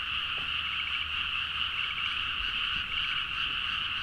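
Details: Frog chorus at midnight in rice paddies in Nagaoka, Niigata, Japan, recorded with a Zoom H4n; dense, continuous overlapping croaking in two steady bands, with faint rapid trills standing out now and then and low rumble beneath.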